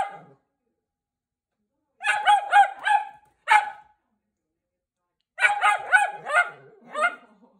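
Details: Italian Greyhound "speaking" in bursts: quick runs of three to four short, yelping, talk-like barks come in two clusters separated by silent gaps, each bark tonal with a harsh edge, the last cluster trailing off into a softer whine.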